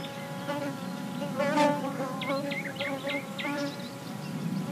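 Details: Ground-level recording of busy bees in the sun, their even humming drone carrying throughout, with a short burst of quick repeated bird chirps in the middle.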